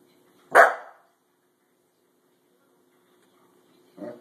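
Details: A pet corgi reacting to a springy doorstop it dislikes gives one sharp, loud bark, followed after a three-second silence by a short, softer muffled sound.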